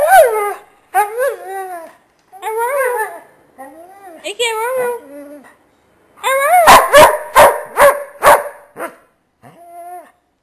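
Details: Dalmatian and Basset Hound mix dog, blind and diabetic, giving drawn-out wavering howls and yowls with rising and falling pitch, then a burst of sharp barks near the end.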